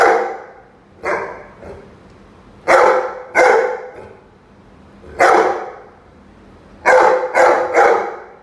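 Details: Confronting a chicken, the Rhodesian Ridgeback Roady lets out repeated harsh barks, some softer, others loud and paired, ending in a quick run of three, a low hum persisting underneath.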